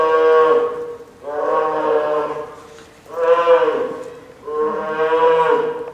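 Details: Lila, a nine-month-old female polar bear cub at Sapporo's Maruyama Zoo, crying loudly after being scolded by her mother Lara near lunchtime on a stormy typhoon day, October 2015; four long, nasal, bawling wails, each about a second.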